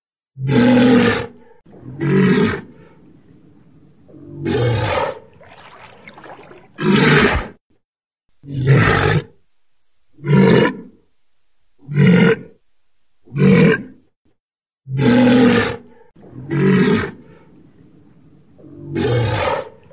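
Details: A walrus (Odobenus rosmarus) of the circumpolar Arctic seas gives loud, rough roaring bellows, each about a second long, repeated in a steady series.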